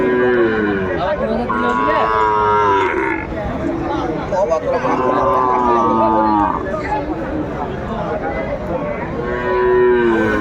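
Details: Sahiwal bull calves at a Tuesday cattle market in Faridpur, Bangladesh, 24 December 2024, while a farmer shops: three separate long, level moos roughly every three to four seconds, amid dense crowd chatter and bargaining voices.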